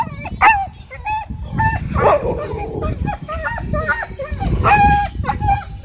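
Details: Husky at a dog park screaming after an encounter with a pitbull: sharp, high yelps in quick bursts, several with a falling tail, repeated through the clip over a murmur of people's voices.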